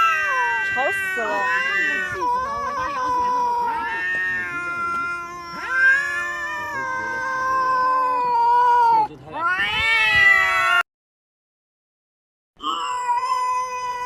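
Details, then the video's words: Domestic cat making a weird sound: long, overlapping wavering yowls and meows, several tones at once sliding up and down, sometimes a voice-like quality, then a sudden cut to silence and a final steady, nasal wail. "this weird sound is from a cat"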